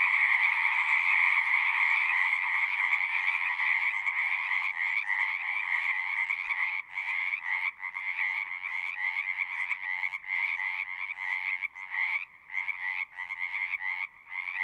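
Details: Frog chorus that starts as a continuous trilling wall, then breaks up into quick pulsed bursts with short gaps, about three calls per second in the second half.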